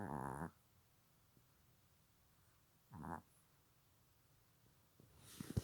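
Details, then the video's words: Snoring Silky Terrier asleep indoors, with two short rasping snores about three seconds apart, then a louder rustle and thump near the end. "강아지 코골이"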